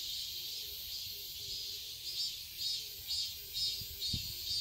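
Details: Cicadas in a summer garden in Seoul, Korea pulse in regular loud swells roughly twice per second over a steady high buzz, with a faint low humming tone beneath and a brief thump.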